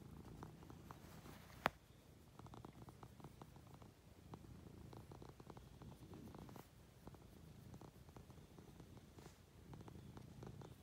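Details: Munchkin cat purring while affectionately climbing onto its owner in bed indoors: a soft, steady, low rumbling purr made of fine rapid pulses, with one sharp click early on.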